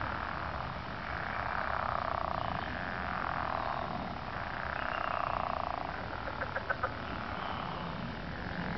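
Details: Frogs in early spring drone in a steady, buzzing, throat-singing-like chorus that swells and fades, with a few sharp clicks.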